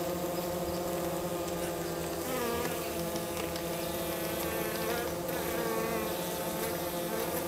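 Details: Minnesota hygienic honey bees near St. Paul in mid-March at about 50 degrees, busy removing dead bees at the hive entrance; a dense continuous buzz with wavering harmonic bands, loudness even from start to finish.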